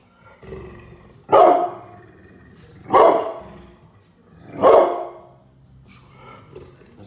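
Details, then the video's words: Angry pit bull barking loudly, three heavy, harsh barks evenly spaced about one and a half seconds apart, each fading quickly, with a faint low rumble between them. "Sound of Pitbull dog barking very loud, angry, loud"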